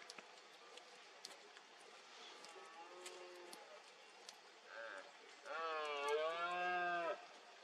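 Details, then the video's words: Red deer stag in fog during the 2022 rut in Cantabria, Spain: faint distant roars early on, then a loud, deep, rasping bellow of about one and a half seconds near the end, with faint clicks in the background. "BERREA 2022 EN CANTABRIA: VENADO ENTRE LAS NIEBLAS."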